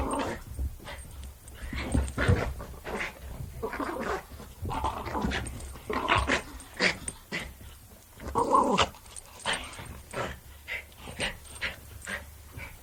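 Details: Jack Russell Terrier growling and snarling while playing, a long run of uneven, gritty bursts and snorts over thirteen seconds, some sharper and louder, with a steady low hum underneath.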